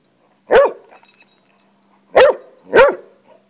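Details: A hound going after a lizard, on the attack; three loud, clipped barks, one then a pause of over a second, then two close together, with faint whining between.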